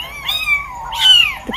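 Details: A young kitten, about two weeks old, brought out of its nest for the first time and isolated, gives high, thin meows, each sliding downward, calling for its mother.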